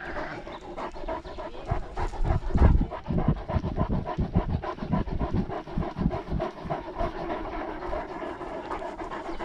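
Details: Steady, fast panting of a Great Dane on a lockdown walk, captured by a GoPro dogcam; breathy rasping bursts repeat in a dense rhythm, with dull low-pitched thuds of walking underneath.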